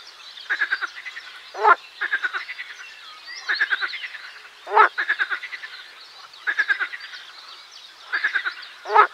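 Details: Chorus of marsh frogs (Pelophylax ridibundus): repeated series of rapid clicking croaks, each run of pulses alternating with a loud raspy burst roughly every one and a half seconds, many frogs calling behind.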